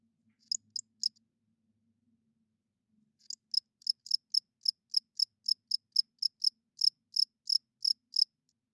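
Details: Crickets at night, the males rubbing their wings to attract females and hold territory. A few high, thin chirps, a pause, then a steady run of about sixteen sharp pulses at roughly three per second.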